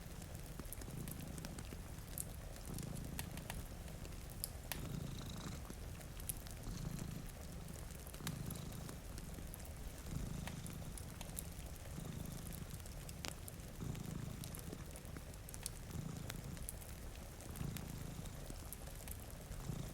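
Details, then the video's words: Domestic cats, two of them, purr while sleeping before a rainy window. Deep rhythmic rumbling pulses in regular cycles of roughly two seconds, steady throughout, accompanied by popping fire crackles and soft continuous rainfall. "Purring Cat"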